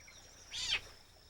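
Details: A fishing cat kitten on a muddy shore at low tide, watching a fiddler crab leave its burrow, gives one brief, high, thin mew that slides quickly downward.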